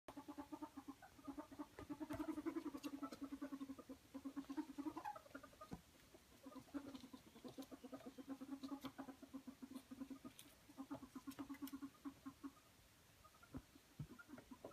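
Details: Ferret wrestling and playing, happily squeaking and dooking: rapid low soft clucking pulses run in long rattling bursts, with brief pauses and scattered sharper clicks and taps throughout.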